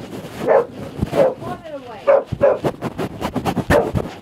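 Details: Frightened female dog barking at a chair, several short, bright barks spaced unevenly, overlapped by a person talking and urging her on throughout.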